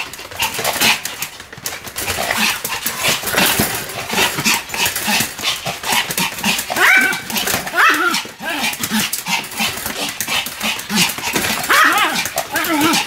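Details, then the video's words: Pomeranian named Sam barking continuously while spinning rapidly in circles, a stream of sharp high yaps packed closely together with clattering and scuffling noise throughout. "超高速回転 ポメラニアン サムの連続吠え"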